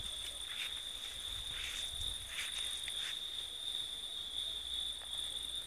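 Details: Grasshoppers singing in a mixed insect chorus that also holds crickets and lacewings: a steady high shrill tone runs throughout, with a fainter still higher band above it and soft pulsing bursts layered over the drone.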